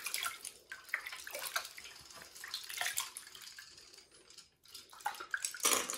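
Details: Water splashes and drips in a small room during a bath, with no animal sound.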